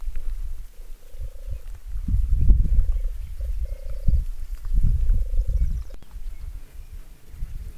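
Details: Wild boars close by: loud, deep, rapid grunting in rolling bouts, with a thin steady hum appearing between some grunts.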